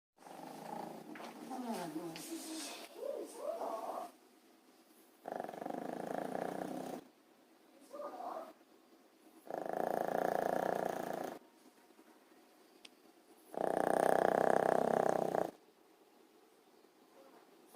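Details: Pet dog napping indoors and snoring heavily: rough, breathy bursts about two seconds long return every four seconds or so, growing louder over time, with faint murmuring in the first seconds.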